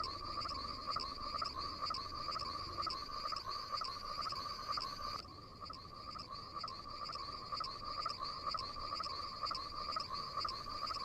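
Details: Night-time frogs in a continuous chorus of buzzy, pulsing croaks at two steady pitches, with a brief dip in loudness midway before the calling resumes.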